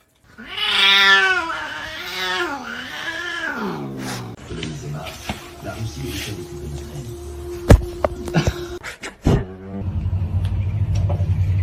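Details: Cat in a funny pet compilation giving a drawn-out, wavering yowl of about four seconds with a rich harmonic tone that dips and rises, followed by clatter, sharp knocks, a steady low hum and people talking.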